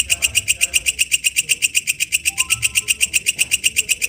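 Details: Wild walang kecek katydid singing in its natural habitat. Loud, steady, buzzy pulses repeat about four times a second, shrill and metallic. Faint low background murmur underneath.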